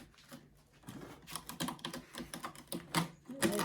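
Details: A female Maine Coon cat sharpens her claws indoors, raking them in rapid, uneven bursts of dry, rasping scratches.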